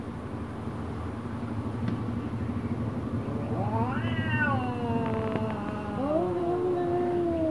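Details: Angry domestic cats, an orange cat facing a black cat: a long, tense yowl starts midway, climbing then sliding down in pitch, followed by lower, drawn-out moaning wails, with a constant low hum behind.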